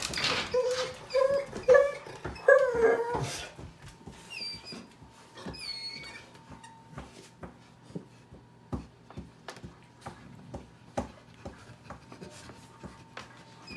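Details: Pitbull puppy playing with a Chihuahua mix dog indoors: a burst of shrill yips and whines in the first few seconds, then a few thin whimpers among sharp clicks, thumps and scuffling of play.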